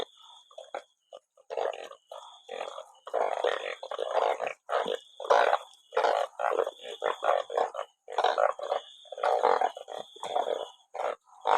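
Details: Banded bullfrogs caught in large numbers after rain, a sackful of them calling together: dense, overlapping nasal croaking bursts of mid pitch, irregular and nearly continuous, with faint high hiss above.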